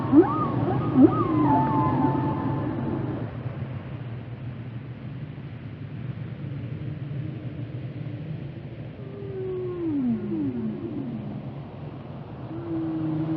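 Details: Whale vocalizing: a burst of higher sweeping moans and two sharp low upsweeps at the start, a quiet stretch, then steady tones and descending glides, over faint low underwater rumble.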